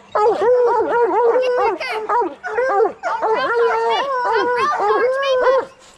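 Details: Training coonhounds, bluetick and black and tan, bay for raccoons: long sustained howls with sharp falling tails, grouped in three loud bursts separated by short breaks, dense stacked harmonics throughout.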